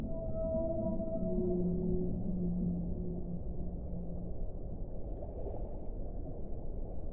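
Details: Whale vocalizing in a series of drawn-out tonal moans stacked in harmonics during the first four seconds, then fading, leaving only a deep, continuous underwater rumble.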